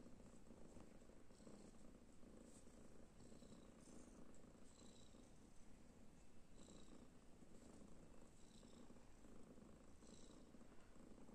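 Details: A deep, even purring drone from kittens resting after play fills the whole stretch, with light rustling on top.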